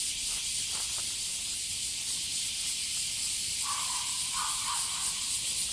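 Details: Loud chorus of cicadas on a stroll with a female Border Collie. An unbroken high sizzling drone runs throughout, and a few brief mid-pitched tonal chirps from another sound source appear near the end.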